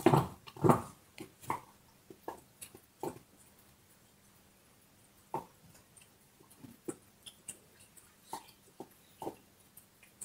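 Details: Bone-chewing dog: a few strong crunching bites at the start, then a long lull broken by sparse, faint clicks and small cracking sounds of gnawing.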